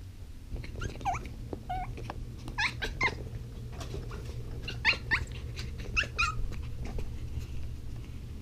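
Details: Zuko, a puppy at home, frustrated with an unfamiliar new ball he cannot fit in his mouth. Clusters of bending, nasal whimpers and squeaky yelps come in short bursts separated by brief pauses, over a constant low indoor hum.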